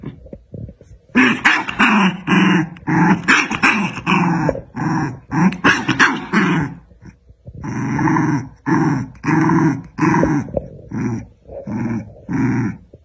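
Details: Two dogs, one black and one white, locked in a fight: dense snarling growls in quick repeated bursts, ragged and rasping, easing into steadier pulsed growls toward the end.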